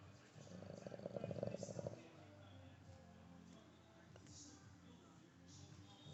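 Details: A sleeping Boston Terrier gives one rough, buzzing snore that fades into quiet breathing.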